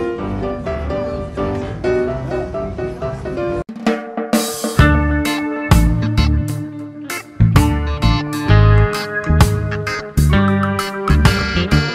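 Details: Drum-heavy instrumental music with snare and bass drum hits and piano chords; no animal voice can be picked out.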